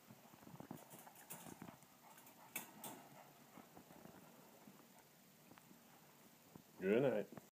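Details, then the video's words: Cavalier King Charles Spaniels Rex and Rudy heading to bed indoors; after quiet rustling and soft human voices, one short, loud, wavering whine with a rising-falling tone sounds near the end. "Cavalier King Charles bedtime"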